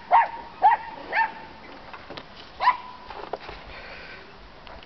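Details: Dachshunds barking to ask to go outside and explore: four sharp, high yapping barks in the first three seconds, then quieter scattered sounds.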